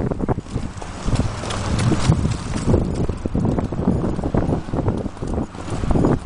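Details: Appaloosa mare Moonshadow galloping and cantering under a rider, filmed 2010–2011 around Sherman, The Rail Golf Course and Riverside Park trails; quick, uneven thudding hoofbeats drive on steadily beneath heavy buffeting wind noise.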